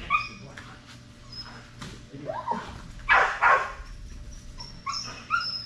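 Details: During Fetch-It (Air Retrieve) dock diving practice on 10.25.22, Strider the Belgian Malinois whimpers with high, thin whines, then barks twice loudly around the middle, and the high whines return at the end.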